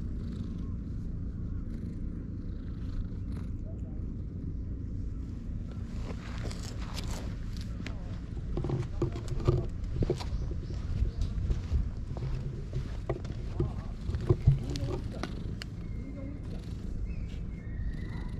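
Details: Stray domestic cats at a secret gathering in the shade on a cat island, filmed with a GoPro HERO8: a steady low rumbling purr runs throughout, with scattered clicks, rustles and handling knocks in the middle section.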